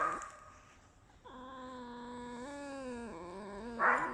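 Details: Captive female red fox kept as a pet: a long, sustained, even whine that steps up slightly in pitch and then drops, ending in a brief rough squeal.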